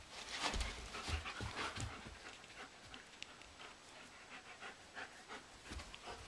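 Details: Blondi and Sugar Tree, German Shepherd and Doberman, tussle in a living room in April as sheep Dasher and Edie watch. Fast, breathy panting with growly huffs is strongest in the first two seconds, then continues more softly with scuffling.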